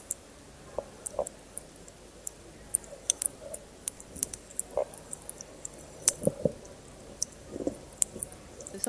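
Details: A hydrophone recording on a coral reef: snapping shrimp crackle with sharp, scattered high clicks, while fish add low grunts and cooing notes.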